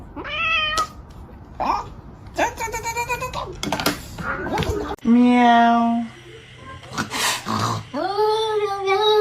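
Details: House cat uttering a string of varied meows, some short and chirpy, one long and level, others rising, mixed with people talking and laughing nearby.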